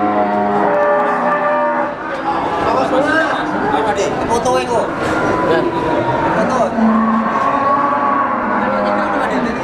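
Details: Brahman breeding cows at the Sumberlawang cattle market, Sragen, in 2018: several overlapping long, low, droning moos with rising and falling pitch, one after another, over a constant background of crowd chatter and market noise.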